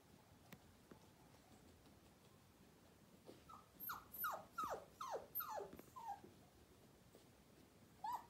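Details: Ten-week-old Miniature Poodle puppies in North Carolina give a quick run of about seven short, downward-sliding yelping whimpers, then a lone higher whine near the end, over a quiet indoor background.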